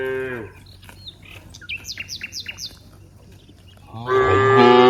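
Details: Cattle herd in a broad rice field: the tail of a moo opens, small birds chirp in short descending notes, then a loud rough bellowing moo starts at the close.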